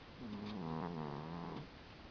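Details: Sleeping female cat snoring: one drawn-out, low, tonal breath lasting over a second, sliding slightly downward in pitch, in a quiet indoor setting.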